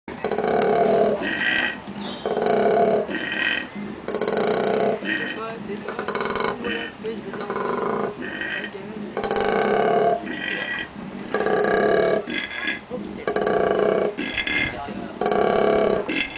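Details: A captive male koala at a sanctuary near Brisbane bellows in repeated rough, belching bursts, apparently trying to find a female to mate with, while another male nearby rests.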